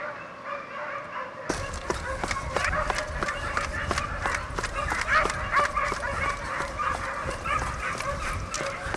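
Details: Segugio Italiano hounds running a hare as a championship pack from 2004, giving tongue together: after a short quiet start, many overlapping yelping bays rise, mixed with sharp knocks and rustling close by.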